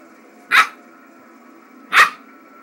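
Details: An 8-week-old Norwegian Elkhound puppy, unsure of a big iron cricket fireplace ornament, gives two sharp, short, high barks about one and a half seconds apart over a faint steady indoor hum.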